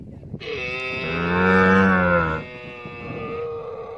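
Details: A single swelling, harmonic camel bellow lasting about two seconds, followed by a fainter steady droning tone.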